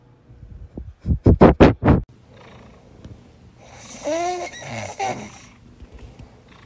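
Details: House cat from a funny pet compilation: four loud low thumping bursts, then a wavering harmonic meow over a hissy background, with faint softer sounds trailing after.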